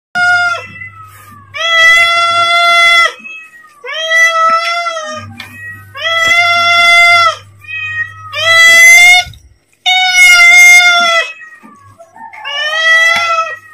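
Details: Pet cat calling to ask for food as its owner is about to feed it: six long, clear, tonal meows, each one to two seconds, spaced irregularly, with a faint low hum between calls.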